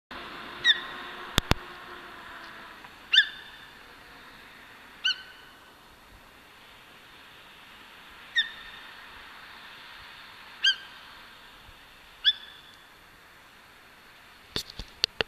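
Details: Yezo sika deer (Cervus nippon yesoensis) calling in Hokkaido, Japan, on the cold, rainy Tenma Kaido road: six short, sharp, high squeaky cries spaced roughly two to three seconds apart over soft steady hiss, with a few dry clicks near the start and end.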